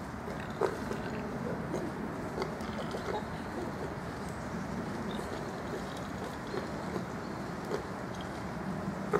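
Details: Wild boar in a forest during the autumn rut grunt and rumble continuously, a dense low chorus of rough, snorting sounds.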